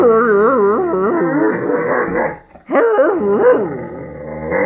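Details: An Irish Wolfhound in a playful mood but lying down, 'talking' with a warbling, undulating howl-like grumble in two bursts separated by a brief pause.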